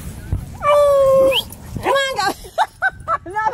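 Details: Two-year-old Alaskan Malamute Tonka among other dogs at a dog park on his birthday: a long steady whine ending in a rise, then warbling howl notes and short clipped yelps, with people talking.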